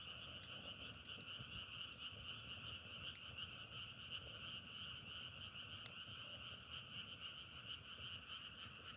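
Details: Frogs in a dense, steady chorus, a continuous trilling hum in two bands, one mid-high and one higher. Sharp crackling clicks break in throughout, like burning firewood.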